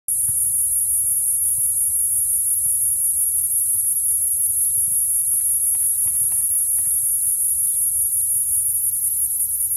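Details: Noisy cicada in Santa Cruz, California, making a steady, unbroken, very high-pitched buzz that holds the same level throughout, with faint low rumble and a few soft clicks beneath.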